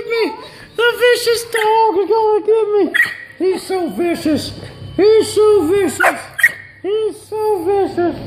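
A vizsla gives bursts of whiny, yodelling moans, each syllable rising then falling, in quick runs.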